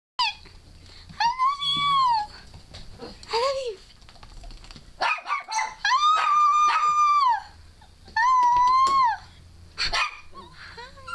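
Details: Female dog Scarlett 'talking' for the first time, said to be 'I love you' and 'I love my mama', prompted by her owner's squealing indoors. Several drawn-out, arched, whiny howls about a second each, broken by short high squeals.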